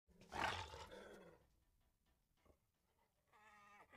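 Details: A striped hyena in Kadbanwadi forest near Bhigwan, India, gives a loud, rough roaring burst, then a steady buzzy harmonic call after a pause.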